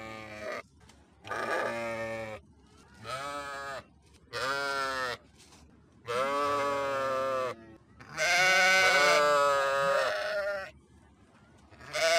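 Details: Sheep bleating in a steady series of wavering, nasal harmonic calls about every second or two, with a longer, louder bleat near the end.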